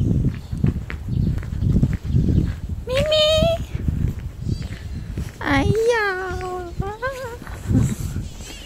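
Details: Kitten responding enthusiastically on seeing a person, giving three rising, drawn-out meows with clear harmonics, the middle one longest, while a woman speaks Mandarin around them and soft background rustling continues.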